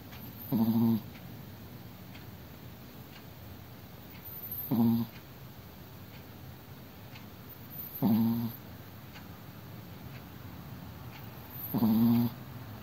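A Chihuahua snores in short, rattling bursts, one roughly every four seconds.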